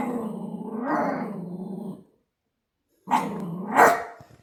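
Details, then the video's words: Pet Shiba Inu dog at 6 a.m. giving its expressive 'talking' sounds: a loud, sustained growly moan of about two seconds that wavers in pitch, then after a pause a second rising and falling growl-yelp. "Shiba Inu Dog Barking Sound"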